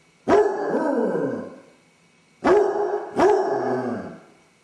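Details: Basset hound left alone in the house, suffering separation anxiety while its owners are out, caught on a home camera: three loud baying howls, each opening with a sharp bark-like attack, then a sustained, slowly falling tone, with brief quiet between.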